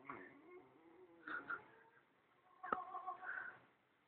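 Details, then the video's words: West Highland White Terrier "singing opera", a wavering, tonal howl-like vocalisation in two drawn-out phrases with a short gap between them. "westie singing opera"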